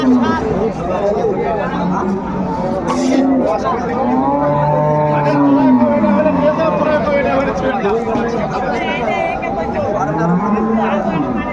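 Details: Moos from cows and calves for sale at Ambari Haat, a cattle market in Dinajpur, recorded 21 March 2025: repeated drawn-out lowing calls, including one long deep moo midway, amid crowd voices and bustle.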